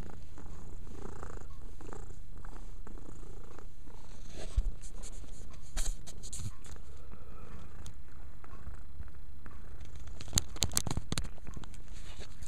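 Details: A female pet cat purrs while cleaning herself indoors; a steady low rumbling purr runs throughout, overlaid by licking and rustling clicks, with a woman's voice speaking softly just afterwards.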